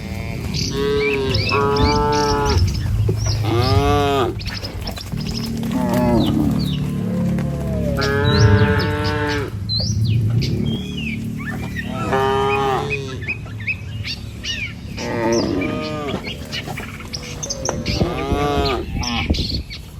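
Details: Herd of tame village cows filing across a wooden bridge toward lush pasture: many repeated moos from several animals, some rising and falling, over a steady low rumble and occasional bird chirps.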